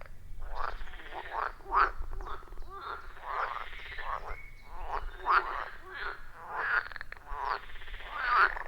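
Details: Loud chorus of frogs around a forest pond, recorded with iPhone 14 Pro plus Shure MV88+; many short pulsed croaks overlap in uneven rhythm, with a soft low hum underneath.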